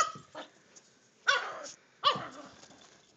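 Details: Three quick, rough-edged barks come from a Toy Fox Terrier at play in a chair, the last two louder and slightly growly, each ending in a brief trailing tail.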